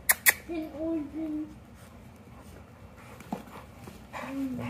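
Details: Feisty English Mastiff puppy named Beefcake play-fighting with his older sister indoors; two sharp thumps, then wavering, moaning whines rising and falling, a later short squeal and a final drawn-out whine, with a woman's voice nearby.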